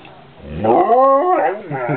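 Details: A male dog, quite vocal, asked to speak and say please, answers with a long wavering talking howl that rises, holds, then wobbles downward, followed by a short grumbling tail.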